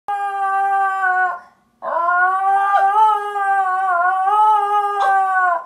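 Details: Basenji yodeling indoors at another Basenji on television: two long, steady, tonal howls rich in harmonics, the first about 1.3 seconds, the second nearly four seconds with slight wavering pitch and small breaks.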